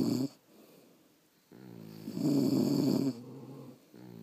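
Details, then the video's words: Sleeping French Bulldogs at home give a rough, rattling snore, a short burst at the start, then a long loud buzzing exhale after a quiet gap, ending with a softer harmonic breath. "Snoring French Bulldogs"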